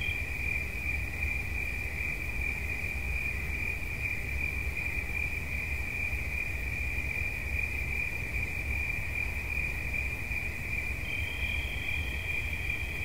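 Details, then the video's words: Cricket chirping as relaxation sounds: an unbroken high, shimmering trill holds one steady pitch throughout, a second slightly higher trill joins near the end, over a soft low rumble. "Świerszcz. Dźwięki relaksacyjne"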